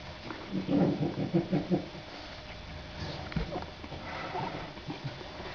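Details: French Bulldog puppies, a pair of 27-day-old females born 23 December 2011, starting to play and growl: a rapid series of about six pulsed, rasping growl notes in the first two seconds, then quieter shuffling and faint sounds.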